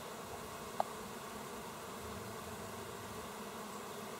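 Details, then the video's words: Many bees hard at work on 27 August 2024 give a steady low buzzing drone, broken once early by a single short click. "Die fleißigen Bienchen"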